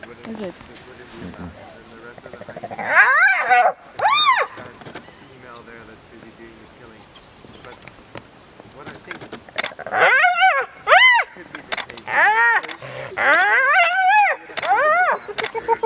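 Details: An adult spotted hyena relentlessly attacks a young hyena of its own clan, drawing a pair of sharp arched whines early on, then a long run of rising-and-falling squealing cries, alongside a man's voice.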